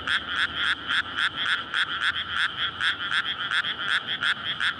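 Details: Night chorus of frogs courting in a flooded paddy in May before rice planting, recorded with a SONY PCM-D100. Rapid, loud, raspy croaking pulses at roughly four per second form a steady, overlapping wall of sound.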